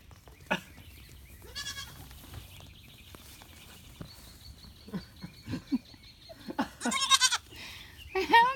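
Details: Goat bleating several times: a short quavering bleat early on, then a longer tremulous bleat and a final rising bleat near the end, with scattered clicks, knocks and a steady high tone in the background.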